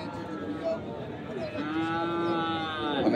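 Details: At the Ambari livestock market in Dinajpur on 10 February 2025, a Sahiwal bull calf raised for fattening gives a drawn-out, slightly rising moo in the second half, over a background of people talking.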